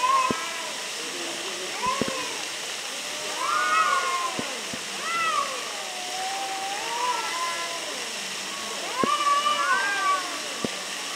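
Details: Two arguing cats filmed near Antalya, Turkey, exchange loud, wavering yowls and moaning meows that rise and fall in long glides, some overlapping in bursts, against a constant watery rush and occasional sharp clicks.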